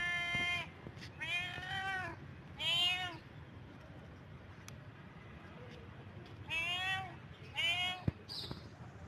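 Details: Cat in heat giving loud, strained meows in clusters: three rising-falling calls early, then a pause of several seconds before two more, with faint clicks and room noise between them.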